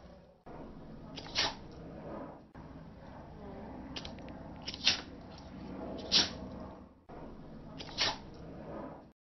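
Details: Pointing a lighter at a dog sets off his sneezing, indoors; four short, snorting bursts spaced one to three seconds apart, each a quick sharp puff of air, with low room noise between them.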